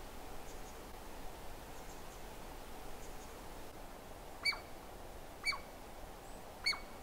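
A Douglas squirrel gives three sharp, high chirps, each about a second apart, over a steady background hiss.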